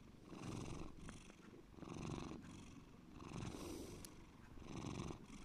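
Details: Pet cat named Bear giving a deep, throaty purr; the low vibrating rumble pulses in regular in-and-out breath cycles, about four swells, with a small click midway.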